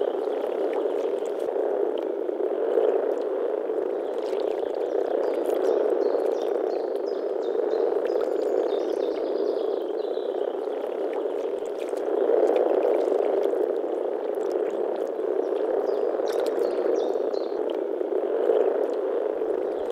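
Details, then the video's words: Frogs croaking en masse in spring, Czech Republic; a thick, steady wall of low rattling croaks lasting twenty seconds, swelling slightly around the twelve-second mark, with scattered faint high chirps. "European frog calls"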